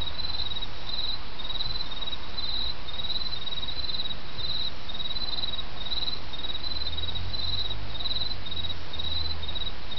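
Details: Autumn insects singing in Japan beside a babbling stream: a high, steady chirping trill in evenly spaced pulses about twice per second, over a constant low rush of flowing water.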